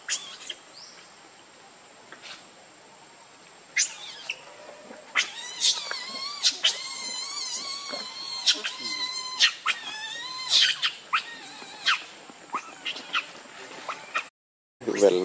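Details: A hungry baby monkey cries, begging its mother for milk: a run of shrill, wavering, high squealing wails with rich harmonics, repeated in bursts for about ten seconds.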